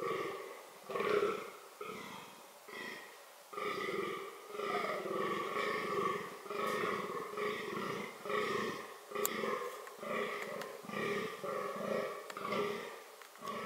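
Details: Fallow deer (Dama dama) during reproductive behaviour, giving deep, belching, growl-like grunts roughly once a second in an uneven rhythm, each a short harsh burst, fairly close and clear, with a few sharp clicks between them.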